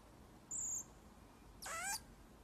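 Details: Baby pygmy marmoset playing at home as a pet: a brief high, thin whistle, then a louder harmonic cry that slides downward, over a quiet indoor background.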